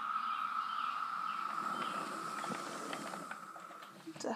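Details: Periodical cicada. A dense chorus of periodical cicadas holds one steady, high droning pitch without a break, loud and even throughout. Faint human speech and a few brief knocks sound beneath the insects.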